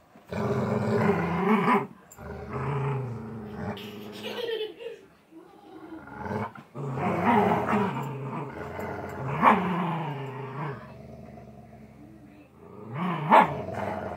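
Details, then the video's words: Golden Retriever in a tug of war game, sustained throaty growls with rising and falling pitch, broken by brief gaps, occasional sharper upward sweeps. "Golden Retriever tug of war"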